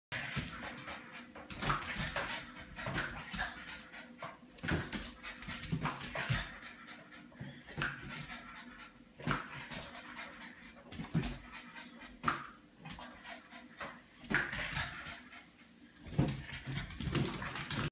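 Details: Female French Bulldog playing indoors, trying to keep a balloon in the air as long as she can; repeated soft whimpers, panting and snuffling with balloon bumps and scuffling throughout, a faint voice now and then.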